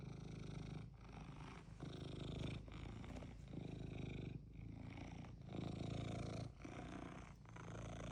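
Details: Domestic cat set on getting what it wants, purring loudly in a deep continuous rattle broken by brief breath pauses roughly every second, no other sounds.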